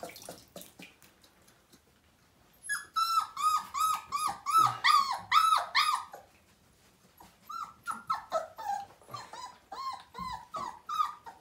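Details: Five-week-old Siberian Husky puppy whimpering during its first bath indoors, from a litter of nine: a brief quiet patch, then a fast run of high, bent, wavering whines, a short pause, and a further series of repeated whimpers.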